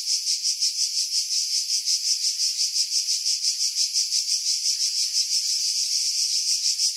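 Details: In pines high above Pefkos Bay on Greece's Skiros Island in July 2018, cicadas give a loud, piercing electric buzz throbbing in quick steady waves near three per second, wind buffeting removed by heavy filtering.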